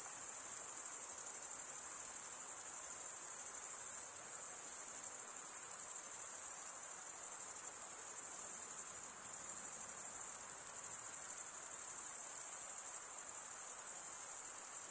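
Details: Male crickets chirping by rubbing wing against wing: an unbroken, very high-pitched ringing trill that pulses minutely, with brief slight dips in loudness near four and nine seconds, over a faint background hiss.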